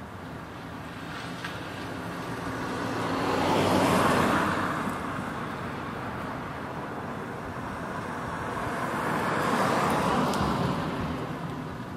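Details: Two passing vehicles swell and fade, peaking around four and ten seconds, over steady road noise with no animal calls.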